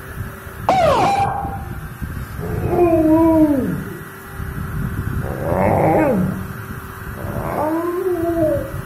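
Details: Pet dog reacting to a car siren, giving wavering howls that slide downward, several separate howling phrases spread across the clip, with a steady background hum.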